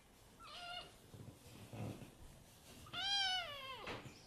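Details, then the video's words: Kitten giving a short, thin meow, then after a soft rustle a louder arched meow that rises and falls away, with faint background noise. "Meow Meow Meow~ Cute Kittens sound"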